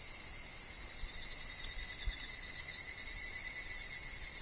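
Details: Evening cicadas, or higurashi, calling in woodland. The high, unbroken metallic chorus hums throughout, with a thin constant whine beneath it and a few soft low thumps.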